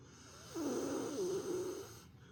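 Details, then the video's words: Napping pet female dog snoring loudly like an old man; one long rasping snore with a whistly, wavering wheeze lasting about a second and a half. "犬のいびき～Dog snoring～"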